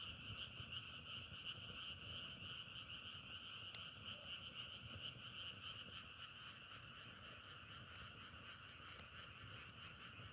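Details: Frogs in a natural setting forming a dense, steady chorus: a continuous trilling drone of overlapping croaks, with scattered sharp crackles throughout and a low rumbling background.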